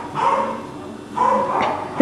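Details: Male Cockapoo puppies, four brothers named Kujo, Louie, Oliver and Bo, filmed on 18 April 2014: two short, bright yapping bursts about a second apart, then a quick squeaky yip at the very end.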